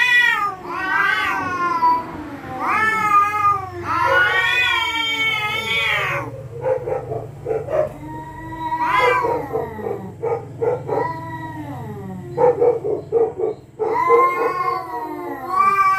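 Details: Territorial cats at night threatening each other: long, loud, wavering yowls with rich harmonics that rise and fall, broken by short gaps, then rougher clipped wails and a final drawn-out moan.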